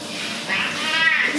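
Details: Pet cat named Simba protesting while being bathed in a bathroom and washed twice for being dirty: a drawn-out, wavering meow lasting about a second over steady hiss of running shower water.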